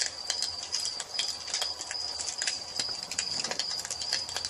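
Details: Crickets at dusk beside a fireplace, a steady high continuous trill with a faint pulsing texture, overlaid by sharp irregular crackles and pops of burning wood.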